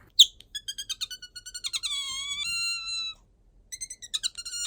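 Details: Otter named Bingo, a pet kept indoors, squeaking when sleepy or wanting attention: rapid high chirping pulses, then a sustained whistled squeak sliding slightly downward, followed by more quick chirps.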